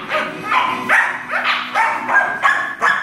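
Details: Scottish Terrier puppies, two pups of four and five months, barking indoors at home: a quick run of about eight sharp, high yelping barks, unevenly spaced, roughly three per second, with a person's voice close by.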